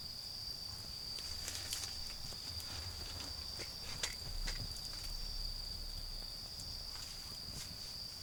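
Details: Autumn insects calling at night beside a garden bonfire, a steady high unbroken trill holding one pitch throughout, with sharp crackles and pops from the fire and a low rumble rising and falling underneath.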